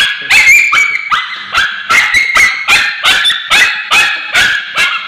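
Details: A male Bichon Frise with scabies screams in distress while ointment is applied to his tail, giving shrill, harsh yelps repeated rapidly and unevenly.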